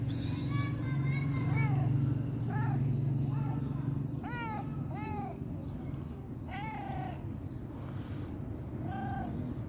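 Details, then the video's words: Hungry stray cat with fluffy fur crying: about eight clear, arched, nasal meows, some short and some drawn out, spaced unevenly over ten seconds above a steady low rumbling hum. "Fluffy fur stray cat crying because it was very hungry"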